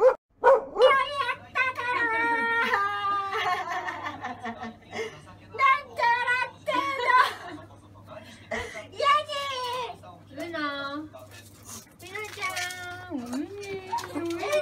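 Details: Uno, a friendly female Kaninchen Dachshund, very excited on her first overnight stay at a pet hotel in Setagaya, Tokyo. She gives long, wavering whines and yelps that rise and fall, almost without pause, indoors.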